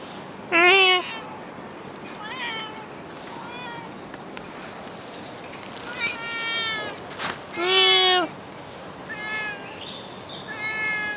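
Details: Stray cat in Singapore, near a car: loud, drawn-out, nasal meows. Some are strong and rising then falling, others shorter and softer, repeated every one to two seconds against a steady outdoor background hiss.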